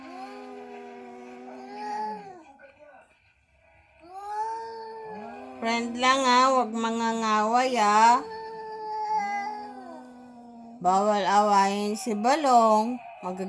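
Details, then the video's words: Visiting cat making a strange sound indoors: drawn-out, wavering, moaning yowls in several bursts, some sliding up and down in pitch, with music in the background. "Visitor cat makes strange sound"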